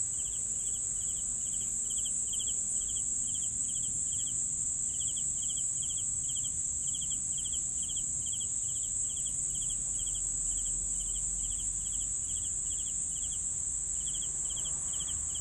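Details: Crickets give regular pulsed chirps at a brisk, even pace, falling silent briefly near the end before resuming, beneath a continuous shrill high trill and faint low background noise.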